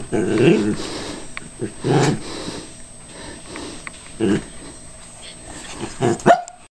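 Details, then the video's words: Cairn Terrier, cautious while attacking a callous remover that is not running, lets out growling barks in a few clustered bursts, the last ending in a higher yelp, with handling noise and faint voices between. "the Cairn Terrier & the evil callous remover"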